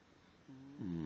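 A sleeping Basenji snores with a low, droning, slightly buzzy breath that grows louder.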